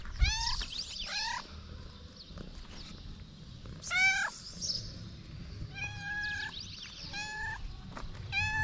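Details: Stray cats in Morocco calling out when their daily food server appears: a string of short and longer meows, some overlapping and bending up then down, with faint high chirping in the background.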